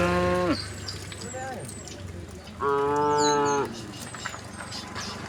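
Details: A group of tame resident cows wanders calmly on a road. A short moo that falls at its end is followed after a pause by a loud, flat moo lasting about a second. Faint bird chirps sound throughout.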